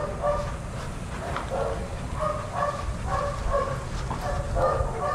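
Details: Shelter dogs up for adoption romping together at daycare: short, clipped barks come every half second or so, several dogs overlapping over a constant low room hum.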